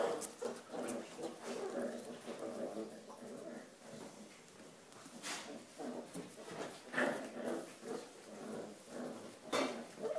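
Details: A corgi on the Volga gives throaty, grumbling barks and whines in uneven bursts throughout, apparently while with a sponge.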